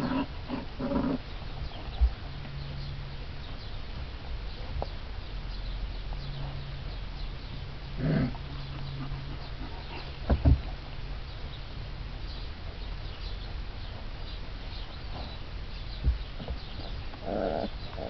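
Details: Four-week-old Alaskan Malamute puppies from a litter born 31 March 2011 wrestle roughly in play, giving short scattered growls and yelps at several points over a steady low hum, with a brief exclamation from a person.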